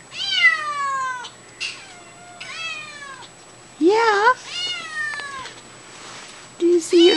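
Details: Indoor kittens crying for their mother: repeated high, descending meows, several overlapping, with a brief wavering lower call midway, as a woman talks reassuringly to them that their mom is nearby.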